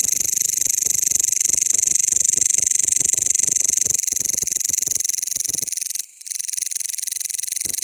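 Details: Mecopoda elongata, a member of the bush crickets, produces a loud, fast, pulsing buzz at close range; the sound cuts out briefly around six seconds with a short click, then resumes steadily.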